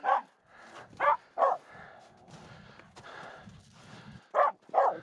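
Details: Aamu, a Finnish Spitz, objecting to two nearby reindeer on a snow crossing up Mulen: six sharp barks spaced in pairs, with a quiet stretch of crunching snow and movement in the middle.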